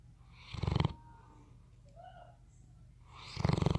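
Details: Bloodhound asleep, giving two rough, rattling snores about three seconds apart, each a short pulsing low rumble with a faint breathy tail, near-silence between them.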